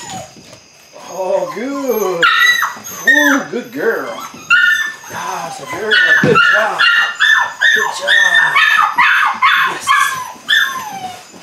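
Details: Eight-week-old Belgian Malinois puppies from the Android Whiteline Czech x Mason's AnnieLou litter, beginning bite work; arched, wavering whines rise and fall, then shriller high-pitched yelps come in quick irregular runs, with human voices mixed in.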